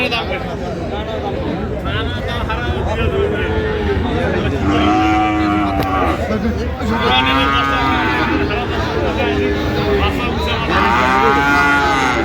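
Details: Bull calves of Friesian and cross breeds at Aftabganj market, 30 December 2025, low moos repeating at short intervals, several rising and falling in pitch, amid nearby human talk and market bustle.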